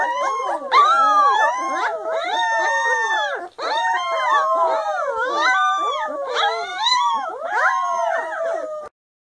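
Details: Three-week-old littermate puppies, finding their voices, sing a dense group howl of bending, yodelling tones layered over one another. It breaks briefly midway, resumes just as loudly, then cuts off abruptly near the end.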